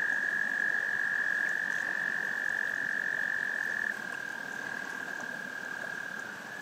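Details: Frogs' love song: a steady high trill runs unbroken, dropping suddenly to a softer level partway through, with a faint rustling background beneath.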